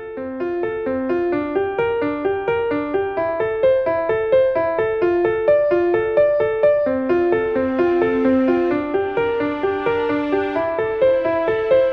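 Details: Piano music only, a bright keyboard melody of repeated notes with no animal sound heard.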